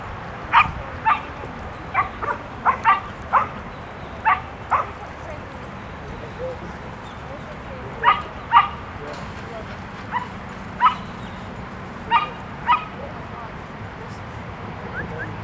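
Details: Dogs at the Bark Park on Haulover Beach, Miami, bark in sharp short bursts, often in doubled yaps, scattered across the scene, with steady crowd murmur and talking behind them.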